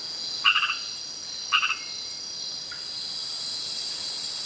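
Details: Frog calling at night in Kubah National Park, Borneo; two short, rapid stuttering chirped bursts about a second apart, then a faint single note, over steady high-pitched insect drone.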